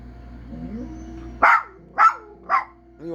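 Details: A dog, at home, gives three loud, sharp barks spaced about half a second apart, each with a short falling tail, after a quiet stretch with a faint steady tone in the background.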